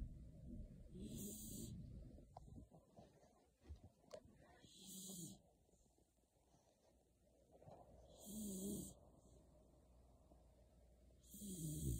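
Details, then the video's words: Beagle named Shiloh, sleeping soundly under a kotatsu, snores in slow, deep rhythm: low rumbling inhalations with a hissy breath edge, recurring about every three to four seconds across the stretch, with quiet breathing between. "ビーグル犬シャイロ こたつで熟睡"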